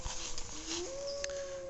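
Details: In the evening at a wild animal sanctuary, a coyote, one of at least two moving along a creek bed through the brush, gives a smooth, rising howl that slides upward and holds on a clear, wavering note.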